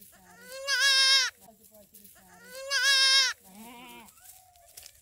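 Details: Young goat kid bleating: two loud, wavering, nasal bleats about two seconds apart, each roughly half a second long, followed by a softer, shorter bleat; low murmuring between calls.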